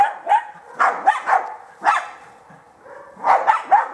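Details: A German Hunting Terrier in training bays at a wild boar to hold it for the hunter, giving sharp, urgent barks several per second while the handler urges it on.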